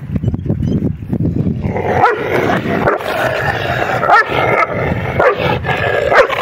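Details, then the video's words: Dogs fighting to mate give rough growls and harsh barks that swell after the first seconds. Sharp yelps break through at irregular intervals over a steady low rumble. "Fighting to mate dogs"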